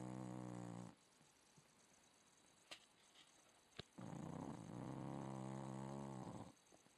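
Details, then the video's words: Staffordshire Bull Terrier snoring: a low, rasping, buzzy snore breath, a quiet pause with faint clicks, then a second longer rattling snore lasting about two and a half seconds. "staff snoring"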